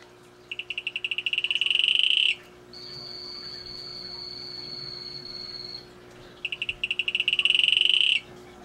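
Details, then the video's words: Calling male Atelopus hoogmoedi gives two high, rapid pulsed trills, each swelling louder over about two seconds. Between them runs a steady, thin, higher whistle-like tone lasting about three seconds. "Male Atelopus hoogmoedi calling"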